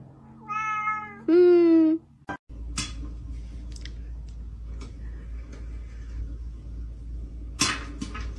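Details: Cat in a small room uttering two quick meows, the second louder and ending in a flat, nasal tone, followed by a click and several seconds of steady background hiss with faint knocks.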